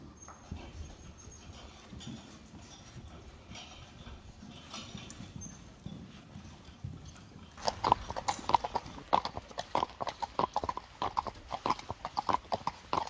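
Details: Friesian horse on a farm keeping 25 Friesian horses, mares at work: about seven quiet seconds of low background, then sharp irregular hoof clip-clops at roughly 95 strikes a minute, with faint Dutch speech nearby.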